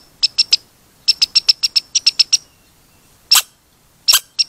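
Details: Red squirrel squeaking in quick, high-pitched runs of short notes, several per second, broken by pauses and a couple of louder, harsher chirps; no other sounds stand out.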